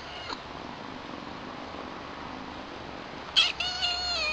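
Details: Newly arrived kittens, Chilli, a young female, and her brother Pepper, with one giving a short, bright, high meow near the end after a long stretch of quiet background hiss.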